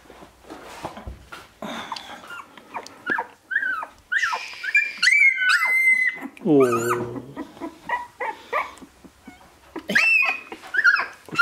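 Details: Sixteen-day-old Shiba Inu puppies, recorded 13 March 2017 after their birth on 25 February, whine and squeal in loud, irregular, strained cries. Some cries are thin and high, others lower and wavering, and a French-speaking woman murmurs to them.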